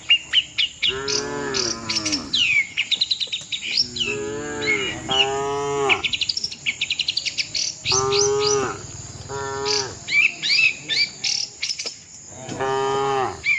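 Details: Tame cattle walking with their herd toward the shed give deep, drawn-out moos in four separate bouts, each with a wavering rise and fall. Birds chirp repeatedly in the background over a steady high insect whine.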